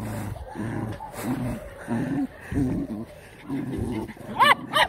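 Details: Jack Russell terrier playing with puppies: low rumbling growl bursts repeat at a steady pace, and two sharp, high yips close the clip.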